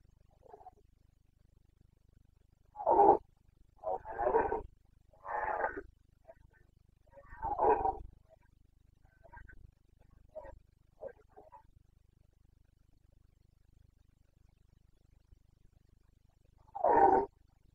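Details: Red deer rut in the Carpathian forests of Bucovina, late September 2022: a run of four coarse bellowing roars, then faint grunts, a long pause and one final loud roar.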